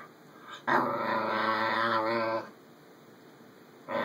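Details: Pet schnauzer vocalising as if talking, one sustained harmonic growling moan of nearly two seconds, voiced and wavering, followed by quiet room tone.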